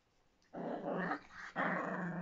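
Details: Miniature Pinscher giving two rough growls indoors, the first lasting about a second after a quiet start, the second louder and continuing to the end.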